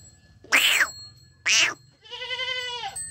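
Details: Young goat kid bleating once, a drawn-out quavering cry that falls slightly at its close, following two loud harsh bursts of another sound a second apart.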